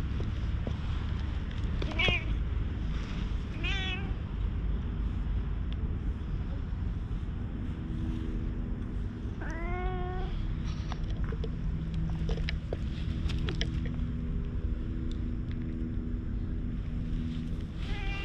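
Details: Black stray cat rolling over and over in the middle of a road, appealing to the person filming, recorded on a GoPro HERO8 with Media Mod; clear rising-falling meows near 2, 4, 10 and 18 seconds over a constant low rumble.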